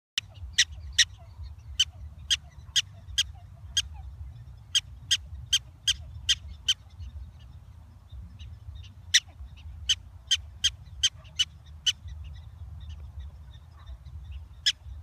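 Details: A prairie dog gives sharp, squeaky chirps in quick bursts over a low background rumble, turning serious at the end on seeing peanut butter and jelly sandwiches.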